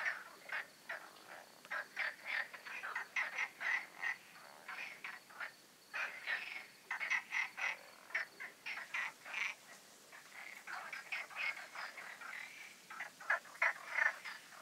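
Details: Nocturnal frog concert in the connected ponds and stream of the Magic Oasis, night before full moon: a continuous chorus of short croaks, packed closely together and rising and falling in intensity.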